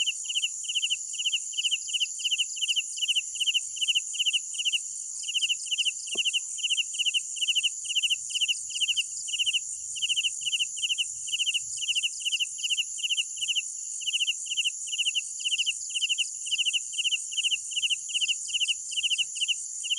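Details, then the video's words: Nighttime crickets giving a long, steady series of sharp pulsed chirps, about two to three per second without a break, layered over an unbroken high insect whine, with a single faint click midway. "Sounds of Night Crickets"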